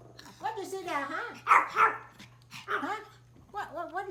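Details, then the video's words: A small Pomeranian outdoors, reacting to deer outside, gives high, wavering yaps and whiny barks in short bursts, with a person talking. "The small Pomeranian dog makes a funny barking sounds outdoor"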